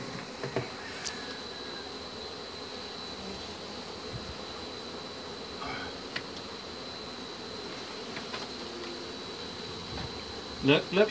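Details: Steady droning of many honey bees during a hive removal, with a thin constant high tone, faint scattered ticks and a burst of loud knocking at the end.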